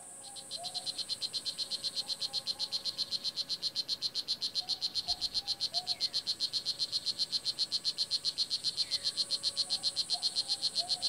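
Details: Adult male blue jeans poison dart frog calling from the forest floor in Nicaragua, to court a mate or ward off rival males: a long, steady train of high chirps, roughly four each second, over faint lower rainforest calls.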